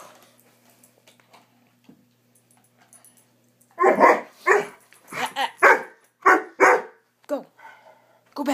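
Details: Indoors, a Swiss Mountain Dog puppy, a family pet having a frantic "bad dog run", breaks a quiet spell of about four seconds with a rapid volley of around a dozen loud, coarse barks. A human voice is heard nearby.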